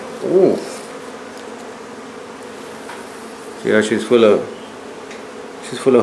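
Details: Buzzing hum of honey bees from a hive taken out of a barn in La Feria, Texas. The low continuous drone is broken by short bursts of human speech near the start, middle and end.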